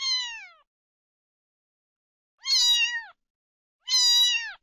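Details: Domestic cat meowing, offered as a sound to draw cats near: three clear, strong, harmonic-rich meows, the first falling in pitch and the next two longer and level, separated by silence.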